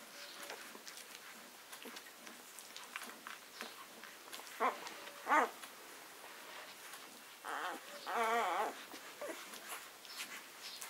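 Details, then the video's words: Six-day-old Leonberger puppies from a summer litter: two short squeaks near the middle, then a longer wavering whine and a higher, quavering whimper close together near the end, over soft rustling and clicking. "Summer litter (leonberger) 6 days old"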